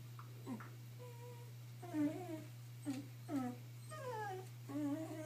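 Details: Indoors, Boo, a two-year-old female Shiba Inu, whimpers while frantically trying to hide an edible chew. Short, high, nasal whines rise and fall in a rapid uneven series of about seven cries, over a constant low hum.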